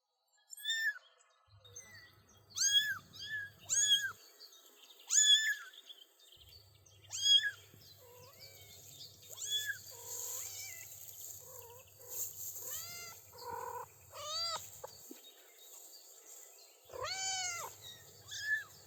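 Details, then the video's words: Three-week-old kittens and their mother outdoors on grass with daisies, first steps; many high, thin, arched kitten meows in quick succession, with a faint low hum running through parts of the recording. "Adorable 3-Week-Old Kittens Take Their First Steps & Meow with Mom"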